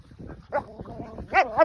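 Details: Dreaming in its sleep, a Finnish Lapphund makes faint muffled huffs, then a thin whimper and a pair of high, wavering whines near the end.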